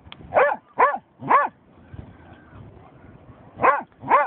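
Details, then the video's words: German Shorthaired Pointer reacting to a dead seagull it has found: five short, arching whiny yelps, each rising then falling, in two bursts with a quiet gap between, against faint background noise. "funny/mad GSP german shorthaired pointer"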